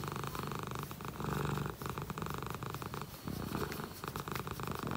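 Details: Contented shorthair cat purring, a deep continuous rumble with regular breath-linked pulses, loud and close, no other sounds clear.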